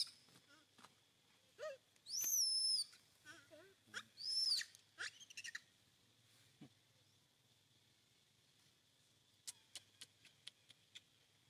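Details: Hungry baby monkey crying while its mother weans it from milk: two loud, shrill, whistled cries that rise then fall, near two and four seconds, between softer squeaks, followed by quiet sharp clicks.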